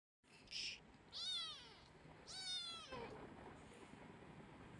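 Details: Domestic kitten wanting attention: two loud, high, drawn-out meows a second apart, each rising then falling, followed by a softer short mew, over a faint hiss of room noise.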